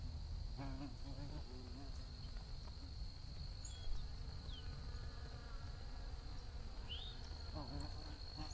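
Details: Bees buzzing in a low, droning hum that wavers in pitch as insects move near and away, over a steady high-pitched whine, with a few brief rising bird chirps in the background.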